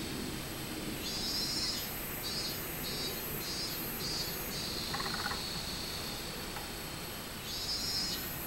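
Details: Robust cicada, 24 July 2016: a run of high pulsed notes flows into a long sustained buzz, then pulses again, with a fainter, even higher rhythmic caller pulsing alongside over steady background hiss.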